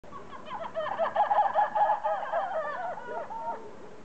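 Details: Red ruffed lemurs (Varecia variegata rubra) at a zoo in Lagos, Algarve, Portugal, in January 2014 give a loud, harsh, quavering chorus of overlapping barks and wails.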